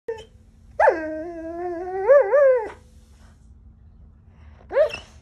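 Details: Giant Schnauzer mix dog acting bratty while lying on its owner's pillow, letting out a drawn-out, wavering, moaning whine lasting about two seconds, then a short rising yelp near the end, indoors in a quiet room.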